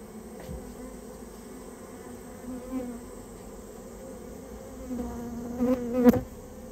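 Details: Japanese honey bee colony nested inside a storehouse and being removed; a steady droning buzz that swells near the end, with a sharp knock or click standing out late in the recording.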